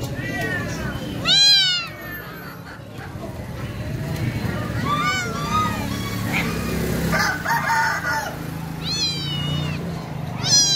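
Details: Kittens or cats meowing: four short, arched, harmonic-rich meows, rising then falling, near the start, middle and end, separated by pauses of several seconds. A steady low rumble and murmur run underneath throughout.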